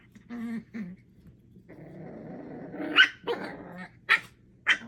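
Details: Puppy play among Thumper, Coco, Aurora and Elvira, 8 weeks old: two short whiny yips, then a sustained low rumbling growl lasting over a second, broken by three sharp high barks.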